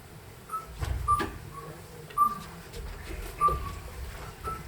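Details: Common midwife toad, the toad that carries its young (identified tentatively), giving short, pure piping notes about a second apart; recorded during an autumn 2020 (Toussaint) citizen-science stay and easily mistaken for a bat.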